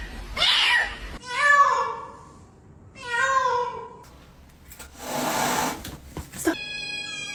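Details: Cat in a compilation of funny little sounds, uttering two clear, medium-pitched meows a second apart, then a breathy noisy burst and a click before a brief high tone; quiet indoor background.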